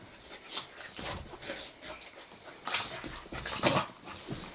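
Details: Two puppies, Gidget and her brother, wrestling at play indoors: soft scuffling with short whimpering yips and growly bursts rising around the middle and end, no speech heard.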